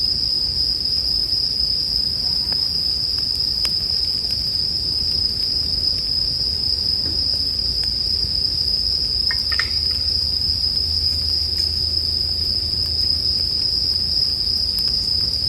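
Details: Bell crickets hold an even, shrill ringing note throughout, set against a bonfire for sleep listening. Occasional crisp crackles of wood sound out, with a soft low rumble of flames beneath.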